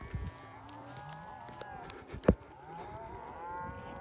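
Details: Cows in Poland panicking while wolves attack a calf: low, drawn-out moos overlapping, with a sharp knock midway.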